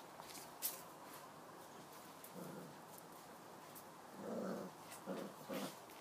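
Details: Kyang La Tibetan Mastiff puppies, born 14 November 2016, heard indoors on 22 December 2016 giving brief low growls and whimpering grunts, mostly clustered near the end, over a quiet background with scattered clicks and shuffling.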